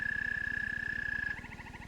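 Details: An American toad (Anaxyrus americanus) gives its call, a steady, high musical trill holding one pitch, heard in an Ohio frog and toad survey guide.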